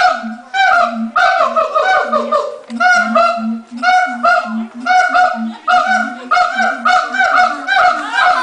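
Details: Zoo siamangs in Los Angeles calling right before lunch time, the male leading: a rapid series of loud barking, honk-like hoots repeated several times a second, steady through the stretch, with low booming notes beneath.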